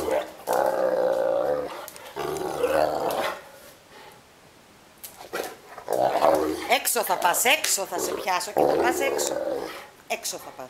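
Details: A Neapolitan Mastiff, complaining because it wants to play, gives long rough moaning growls in the first seconds, then a pause and further throaty grumbling mixed with human voices.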